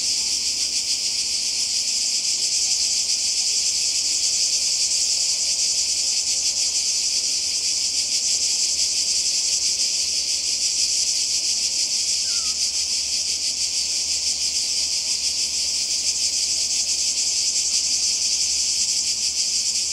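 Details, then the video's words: Summer chorus of cicadas on the Croatian coast, 2020, a constant shrill buzz with rapid pulsing that never pauses, holding an even level for the whole stretch; a single faint brief chirp from another creature briefly appears. "Kroatien Zikaden und Meer"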